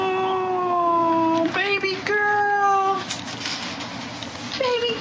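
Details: Black female cat lying inside a clothes dryer, making long, drawn-out, steady-pitched meows with a short break between them, while a woman talks softly to her.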